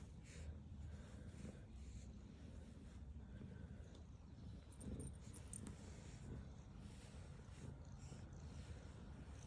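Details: Continuous deep, even purring from a black female cat as she eats, a low rough rumble holding at the same level throughout, with a few soft higher ticks and rustles.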